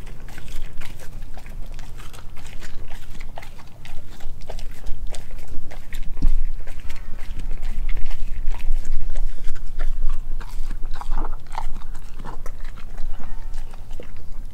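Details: Raw meat meal for Nala, an Australian Kelpie and German Shepherd cross: steady wet gnawing with frequent sharp clicks and crunches, rapid and irregular throughout, with a faint tonal hum in the background.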